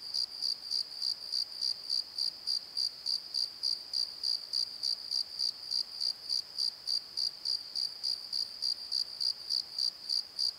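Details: Night crickets in a valley bottom at Pozo, recorded on a Nikon D7100, give a bright, even high-pitched pulse roughly three and a half times per second, with no other clear sounds.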